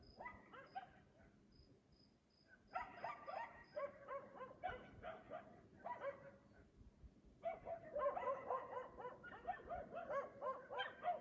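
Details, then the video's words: Persistent 3 AM barking by a dog in Aliseda (Los Galaperos) whose owners sleep through it every night; after quiet, dense volleys of rapid, rough barks, about four a second, over faint high insect chirps. "Ladridos de perro a las 3 AM TODAS LAS PUTAS NOCHES EN ALISEDA (LOS GALAPEROS)sus dueños duermen!"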